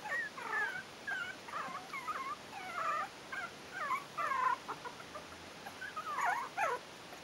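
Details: Four-week-old Yorkshire terrier puppies of litter "A" at the Stellar Garden kennel whimper almost continuously, overlapping squeaky whines that waver and slide in pitch, several voices at once, with a low background hiss.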